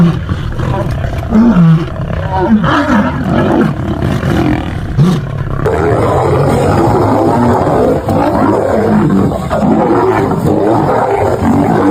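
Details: Wild lions fighting, a male lion coming to save a female; harsh overlapping roars and snarls that keep going, with deep rumbling growls, a rough pulsing texture and a brief shift in background noise midway.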